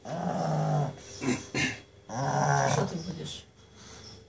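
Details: A sleeping pug snoring: rough, throaty rattling breaths, a long one at the start, then short snorts, then another long raspy breath.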